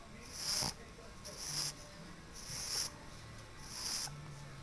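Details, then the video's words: Pug asleep and snoring quite loudly; four breathy, wheezing snores follow one another about every second and a quarter, sibilant and nasal, with a faint low hum between them. "Snoring Pug"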